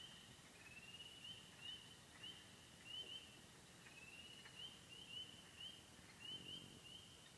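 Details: Remote Bentley Ponds, Upper Michigan, with wood frogs, spring peepers, green frogs, gray tree frogs and toads: high, even frog trilling punctuated by sharp upslurred peeps roughly every half second, unevenly spaced.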